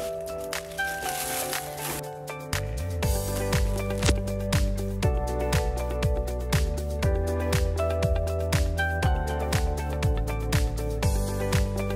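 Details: Rhythmic background music with a steady beat and bass line throughout, with no animal voice.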